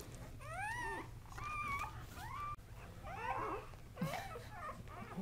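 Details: Squealing cries from newborn Kuvasz pups, a litter of three Casablanca males born October 30, 2008: bright rising-and-falling whines in quick bursts, some sliding upward, with a brief click midway and a constant low electrical hum beneath.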